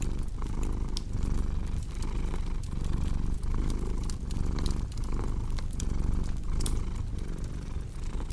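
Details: Steady, loud purring from a cat, a low throbbing drone repeating about every two-thirds of a second, with fire crackle ticks scattered over it.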